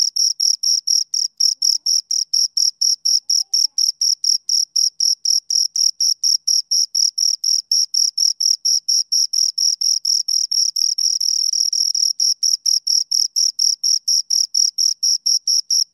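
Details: Two crickets chirping in a steady, high-pitched stream of short pulses, about two per second, each a bright scraping buzz with a fainter upper overtone, continuing without pause for the whole stretch; no other sounds.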